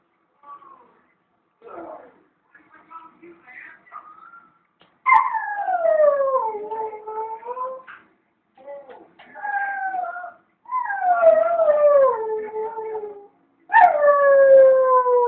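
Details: Dogs left alone at home while their owner was out at the shop for about ten minutes, howling: quiet whimpers first, then long tonal howls that start high and slide downward, several separate bouts with short gaps between them.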